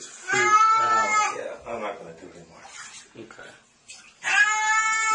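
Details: Pet cat crying out in a long meow, then a stretch of overlapping talk and splashing, before a second sustained tonal meow at the end; a person keeps calming the animal that it is only water.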